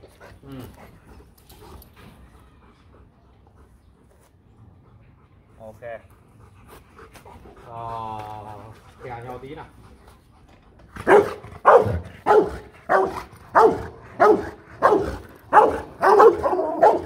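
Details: Aggressive Rottweiler barking to threaten another dog; after a quiet stretch with faint noises, loud harsh barks begin near the eleventh second and repeat steadily, about one per second, through the end.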